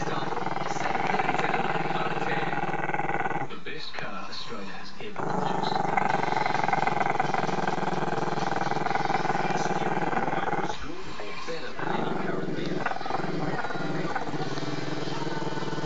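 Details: Growling from Chester, a Maltese-Shih Tzu pup who dislikes being filmed: a drawn-out, throaty, pulsing rumble sustained over many seconds, interrupted by two short breaths or gaps.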